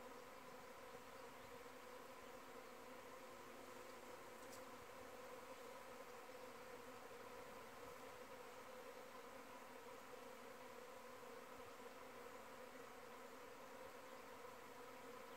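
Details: Honey bees in flight around the hive, possibly during a virgin queen's mating flight, most bees in the air from the hive: a steady, dense hum with a strong drone near 500 cycles and layered higher overtones throughout.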